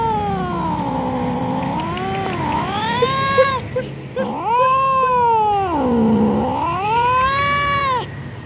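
An angry tomcat gives long, wavering yowls that swoop down and climb back up in pitch.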